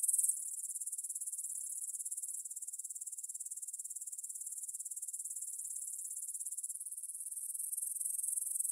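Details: Grasshoppers stridulating in a field near the Svensky monastery in Bryansk, Russia, at 9 pm on 6 September 2020, recorded in stereo on a Tascam DR-44WL: a steady, very high, shrill chirring made of rapid even pulses, with a brief louder burst at the start.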